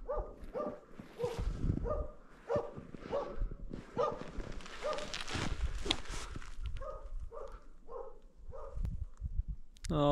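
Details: A male Jämthund (Swedish elkhound) gives steady, repeated bay barks, holding a moose cow and calf at bay in Härjedalen mountains in late afternoon before dark, about 400 meters to 1.4 km away.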